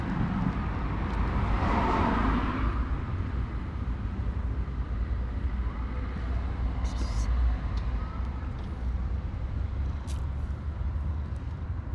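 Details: A steady low roar of street traffic fills an urban alley while a person speaks briefly near the start, with no animal voice heard.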